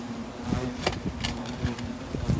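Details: European hornets at a nest found in a roof space. A steady, low droning hum holds throughout, with brief louder wingbeat swells and a few scraping and tapping noises nearby.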